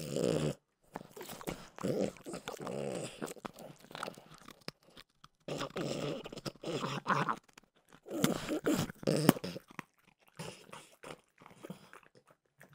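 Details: French bulldog Mimosa snacking on peanut butter flavored Trader Joe's dog treats, with wet crunching and chomping in irregular bursts and short silent gaps between bites, plus occasional low throaty grunts.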